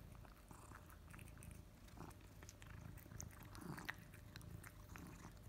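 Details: Pet cat Kimi, male, enjoys his favourite wet food at his bowl; moist chewing and biting sounds crackle irregularly, with a deep continuous low hum underneath in a small indoor room.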